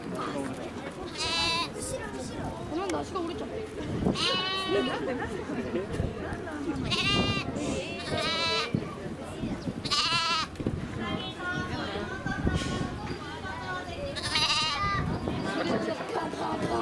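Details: Lamb (baby sheep) at Nasu Animal Kingdom, Tochigi, Japan, on 29 April 2018: about six loud, quavering, harmonic bleats spaced a few seconds apart, over steady background chatter of human voices.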